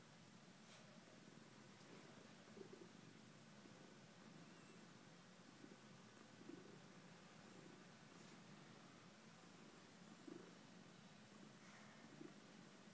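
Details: A cat purrs in a low, even rumble that pulses gently without pause, with a few soft ticks and taps scattered across the quiet recording.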